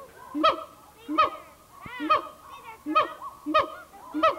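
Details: A siamang at the Memphis Zoo in 1990 gives loud, honking barks, repeated about every two-thirds of a second, from an old VHS recording.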